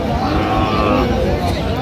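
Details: Cows and calves at Aftabganj cattle market (hat) in Dinajpur, Bangladesh, recorded 6/9/25; a drawn-out, low, steady moo fills the moment, set against dense market chatter and crowd noise.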